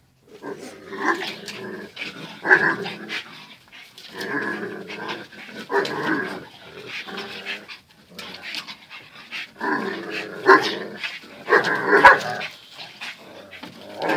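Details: Daily fierce scuffle between two dogs, Zion and Tyson; repeated bouts of snarling growls, each lasting about a second, punctuated by occasional short barks, with brief quiet gaps between clashes.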